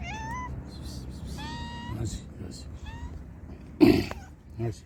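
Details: Several hungry homeless cats in Morocco waiting for food give a quick series of bright, upward-bending meows, then fall quiet; a sharp knock and a brief voice follow, with low traffic hum beneath.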